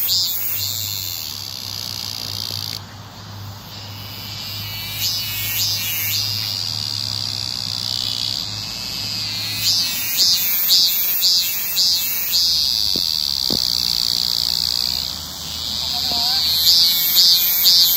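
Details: Cicadas calling on 9 July 2018 along the way to Hwaseo Station, their sound described as mournful: a continuous shrill, high buzzing drone broken by bursts of rhythmic pulsing phrases, over a low steady hum.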